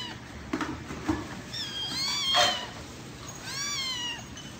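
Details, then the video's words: Kittens meowing, several high thin mewing calls with rising then falling pitch, two or three drawn-out cries in quick succession after a few soft taps, over a steady background hiss. "Little kittens meowing and talking"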